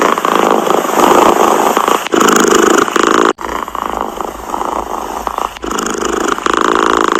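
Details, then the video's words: Close, loud purring from a cat, a gritty continuous drone that dips briefly around the second, third and fifth seconds before resuming just as strongly. "Tiếng mèo kêu gừ gừ dễ ngủ, thư giãn - The sound of a cat snoring helps you sleep"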